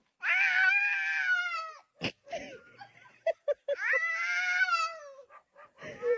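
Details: Pet cat from a funny cat compilation meowing twice, each call a long, high, clear wail that slowly falls in pitch, separated by short clicks, knocks and faint voices.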